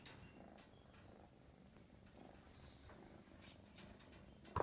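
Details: American Shorthair. An American Shorthair kitten purrs without pause, a low throbbing rumble that swells and eases with its breathing. A few soft rustles and a sharp click near the end sit above the purr.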